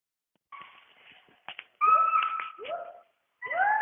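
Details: Western hoolock gibbons calling from the rainforest canopy in Dampa Tiger Reserve, Mizoram, India; clear whoop-like notes with rising upward swoops, some steady tones and short gaps between phrases.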